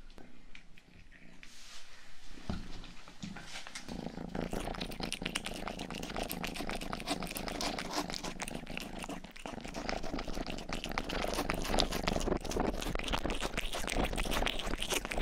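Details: Low rumbling purr from Rang-i, a household cat, close to the microphone; soft at first, then covered from about four seconds on by rapid, continuous tongue-licking clicks of ear grooming, made for relaxing listening.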